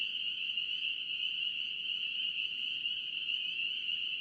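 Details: A brief burst of North Carolina spring peepers: a massed chorus of shrill peeps blending into a steady high whine, constant from start to finish.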